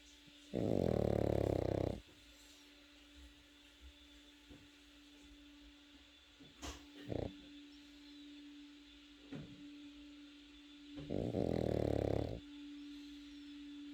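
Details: Sleeping Pekingese puppy snoring indoors: two long, loud, low rasping snores about ten seconds apart, each lasting over a second, with faint soft breathing and a steady background hum between them.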